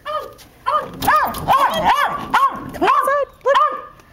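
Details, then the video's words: Male Westie barking in a backyard, unsure whether to stay outside or come in, leaping at the sliding glass door: a rapid run of yappy, ringing barks, roughly nine in four seconds, with short pauses between bursts. "the Westie - Barking in the Backyard"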